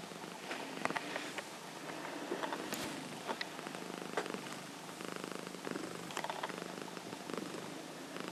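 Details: A sleeping female Himalayan cat snoring indoors, with a quiet, continuous low rumbling breath pattern repeating through the recording and occasional soft rustles and taps as she rolls.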